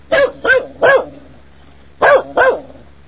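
A Dobermann gives deep, harmonic barks: three in quick succession, a pause of about a second, then two more.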